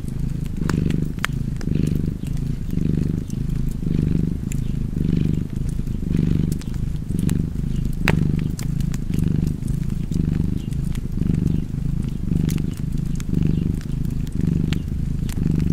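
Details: Cat purring contentedly near a fireplace, its low vibrating rumble rising and falling in regular breath cycles about once a second, accompanied by frequent sharp wood crackles.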